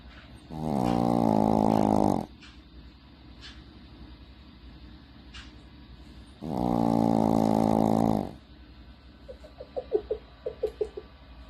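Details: Sushi, a pet Shih Tzu, snoring: two long, rasping, droning snores about six seconds apart, each lasting nearly two seconds, followed by softer short snuffling clicks.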